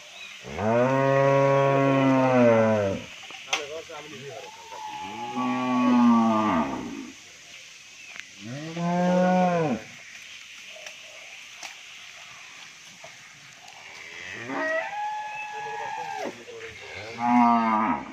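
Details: Sahiwal-Brahman cross bull on a Bangladeshi dairy farm, lowing repeatedly: three strong, deep, rich moos of two to three seconds in the first ten seconds, then softer, shorter moos, with a man speaking nearby.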